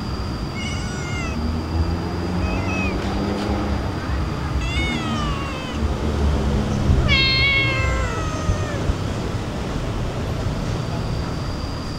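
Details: Excited cats start talking at the dining table while being fed, giving a run of rising-and-falling meows, several overlapping around the middle, against constant road noise and a person speaking Indonesian.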